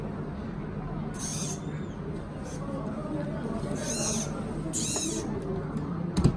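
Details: A newborn giant panda cub, the world's lightest, at a breeding research centre in Chengdu, Sichuan, China, gives three shrill, raspy squeals of about half a second each over a constant low hum and faint rustling.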